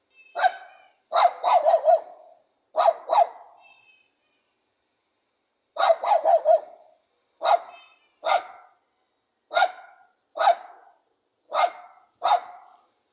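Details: Pug dog barking steadily in sharp, confident bursts, some barks doubled or tripled in quick runs, about a dozen outbursts spread through the recording with short pauses, plus brief high squeaky tones near the start.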